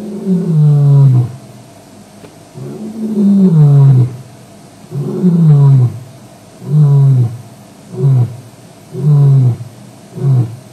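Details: Male lion at Djuma on a WildEarth evening live stream, 09/05/07, giving a roaring bout: six or seven deep, descending moaning roars about one to two seconds apart, each falling in pitch and growing shorter as the series goes on.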